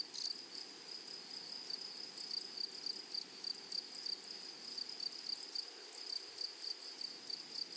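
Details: In a flowery meadow, grasshoppers give a high, thin pulsed trill of short regular chirps, opening with a brief louder burst, over a faint, even hiss.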